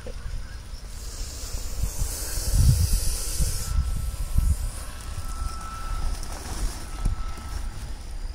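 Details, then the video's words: Aggressive Russell's viper hissing during a snake rescue near Baramati, Maharashtra, India: a harsh, breathy, broadband hiss swells at about two seconds and holds for nearly two seconds, over a steady low rumble of background noise. "Very Aggessive Russell viper hissing | गुस्सैल चित्ती सांप की खौपनाक फुफ्फकार"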